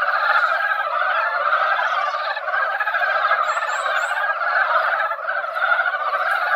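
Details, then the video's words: Chorus of mountain frogs crowding a mountain pond after a brief drizzle, before egg-laying. Many overlapping rattling croaks merge into a steady roar, with a short series of thin high chirps in the middle. "산개구리 노래"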